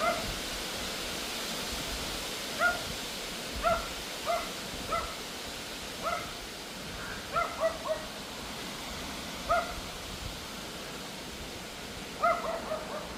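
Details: Loud, yappy Pomeranian barking endlessly during an August evening wind storm; short high yaps, singly or in pairs, every second or so, against a constant hiss of wind.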